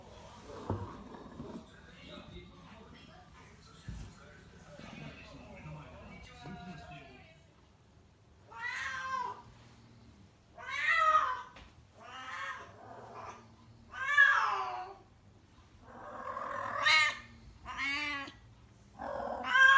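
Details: Rescued house cat Kuro in heat, indoors in Tendo, Yamagata, Japan, calling loudly all day before her spay surgery; soft talking at first, then long wavering yowls that rise and fall, repeated every two to three seconds.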